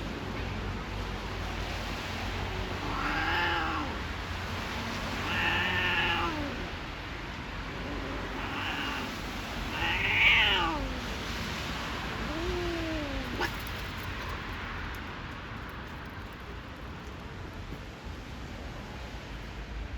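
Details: Stray cats in a garden during mating give long, wavering yowls that swell and sink, four or five in a row roughly two seconds apart, before quieter background noise takes over.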